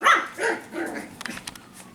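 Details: Five-week-old F1b Cavapoo puppies from Honey's litter at a licensed kennel in Carthage, Missouri, give a couple of loud high whines at the start, then softer fading cries with faint clicks and scuffles behind.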